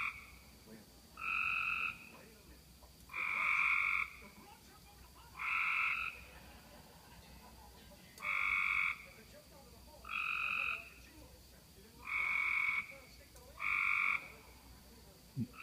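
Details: Frogs calling at night after heavy rain, June 5, 2016, around 11:35 pm, from a roadside ditch: loud buzzy trilled bursts about a second long, repeated every one to two seconds, over a soft background hum.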